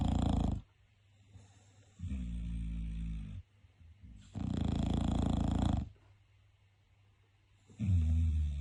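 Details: Bulldog snoring indoors, possibly awake or asleep: loud, low, rasping snores last about a second or more each, broken by quieter gaps and coming roughly every three seconds in a steady breathing rhythm.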